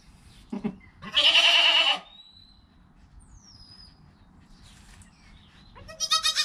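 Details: Newborn goat kid Joel, within an hour of his birth beside his calm mother Penny, recorded on a GoPro: one loud, strained, wavering bleat, a short pause, then the start of a second harsh cry, with soft rustling beneath.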